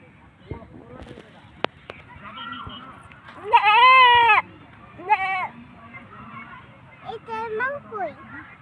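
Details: Goat bleating near a child as an adult asks where its mother is; one loud, wavering, nasal bleat lasting nearly a second, then two shorter quavering bleats, with adult speech between.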